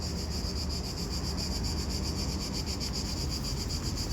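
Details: A cicada gives a continuous high, hissing buzz that pulses rapidly and evenly, recorded in Italy on hot summer days around 40°C; cicadas usually sing to attract a mate.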